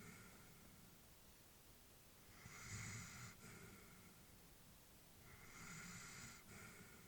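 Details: Old female Labrador dozing indoors with two slow, hissing breaths about three seconds apart, soft low snore underneath, otherwise quiet.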